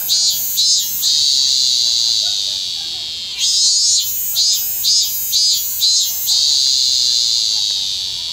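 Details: Late-season robust cicada singing in Kanagawa Prefecture, Japan, on 25 August 2010, into autumn; high, piercing drone alternating with series of five or six pulsing throbs, then settling back into a steady buzz.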